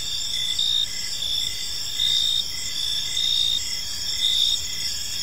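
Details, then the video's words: Chirping crickets fill an evening park with a continuous high buzzing chorus; softer regular pulses sound beneath the bright trills. "Cricket Sounds in a Peaceful Park"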